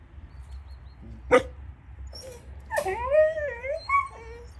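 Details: Rescued dogs, Caucasian shepherds, Romanian Mioritic shepherds and street dogs, kept for adoption; a sharp single bark, then a wavering, rising and falling whine with clear harmonics lasting about a second, followed by shorter whimpers.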